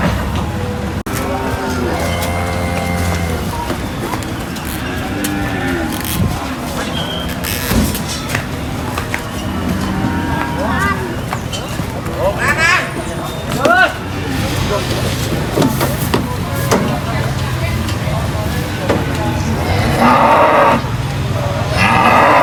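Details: Cows being unloaded from a truck at a market, giving low, drawn-out moos with stacked harmonic bands, some rising and falling. People talk throughout, with vehicle and traffic noise and clattering in the background.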